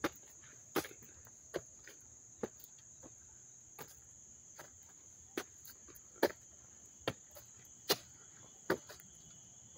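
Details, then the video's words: A level, high-pitched cricket drone at the Dobbs Ferry Little League field, New York, August 29, 2024, close up. It carries on without pause beneath a steady walk of crisp footsteps. "sounds of the crickets chirping"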